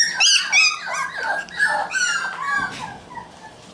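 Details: Red male Shiba Inu puppy born on June 27, whimpering indoors in a string of high, tonal whines that slide up and down, several per second, and gradually soften toward the end.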